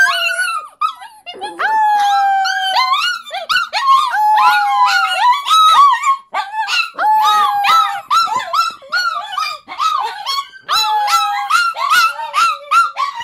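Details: Several pet dogs howling together in a small room, set off by the 5 o'clock fire whistle they answer every day: overlapping wavering howls mixed with rapid yips and short barks, steady chorus throughout.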